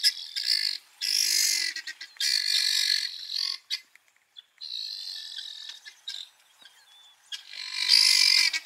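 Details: Three cheetahs of a five-male coalition, separated from the other two across a river in Kenya's Maasai Mara during a very rainy February 2020, give high, bird-like chirping calls in bursts as they search for their companions.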